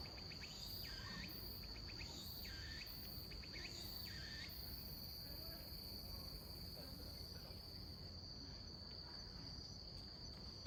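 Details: Autumn Meimuna opalifera cicada at a slow song tempo, possibly weakened, at 17:34 on 27 September 2021. About four buzzy, wavering phrases are separated by ticking pulses, then the song stops after roughly four seconds. A constant shrill insect drone continues throughout.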